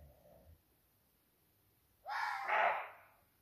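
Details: Young roe buck (Rehbock) at 2 am at night gives a single harsh, hoarse bark lasting about a second, challenging as if dominant in the adjacent forest.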